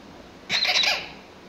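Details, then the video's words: Six-week-old Pomsky puppies at play indoors: one sharp, high squeal with bright stacked overtones, lasting about half a second and fading out, against a quiet room background. "Pomsky Puppies playing ant 6 weeks old"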